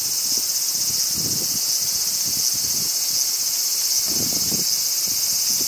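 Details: Crickets in summer in Japan, a dense, steady high-pitched shimmering chorus running without a break, with soft gusts of wind rustling through leaves around one and four seconds.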